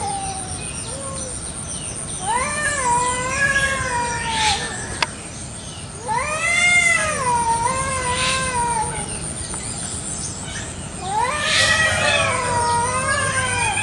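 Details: Domestic village cats in a morning garden brawl over territory, loud enough to pierce the ears. Drawn-out arching yowls rise then sag, coming in three separate bouts with short pauses between.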